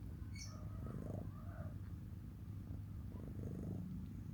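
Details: Domestic cat purring quietly: a steady low rumble with soft pulsing bursts, plus a brief high chirp near the start.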